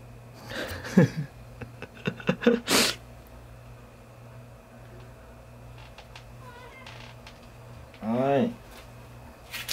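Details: Pet cat named Chacha, indoors in a small room; a person talks over rustling early on, then near the end a single wavering meow rises and falls.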